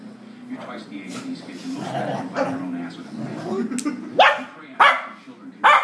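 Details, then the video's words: A four-year-old female dog and an eight-week-old puppy play fighting for the first time, a week after the puppy arrived. A low rumbling growl runs throughout, with three sharp barks near the end and some human voices. "4yr old female dog and 8 week old puppy play fighting"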